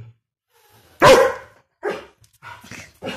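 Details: Angry German Shepherd giving one loud harsh bark followed by a few softer, shorter barks and yips.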